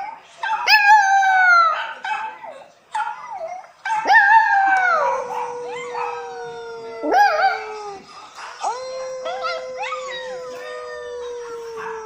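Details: French poodle puppy howls along while watching videos; irregular cries with sharp rising starts and wavering falls, some long flat low-pitched wails in between, loud and harmonically rich.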